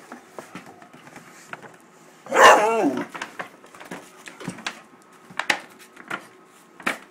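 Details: Wallace, a 13-week-old Great Dane puppy, indoors and upset at a paper bag he attacks, lets out one sharp harmonic bark lasting under a second, with bag rustling and small knocks around it.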